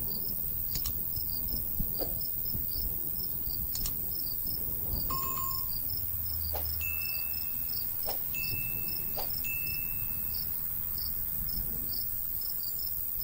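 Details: Summer countryside crickets near a golden wheat field: rapid high chirp pulses continue throughout, while sharp clicks and a few sustained clear tones cut in, all over a soft breeze.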